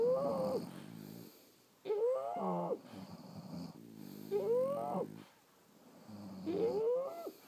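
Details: Sleeping French Bulldogs give loud wheezing snores, four breath cycles with a whistling tone that rises then falls, each trailing into a low buzzy rattle, in an otherwise quiet room.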